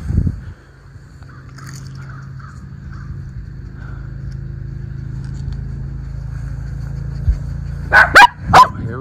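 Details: Miniature Schnauzer in an autumn yard in Aroostook County, Maine, on October 13, 2024, one of two brothers: long quiet stretch of low outdoor hum, then a quick burst of three barks near the end.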